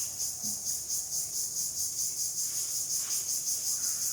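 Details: Crickets calling outdoors in the late afternoon as the sun sets: a loud, piercing high trill throbbing in regular quick pulses from start to finish, with little else audible.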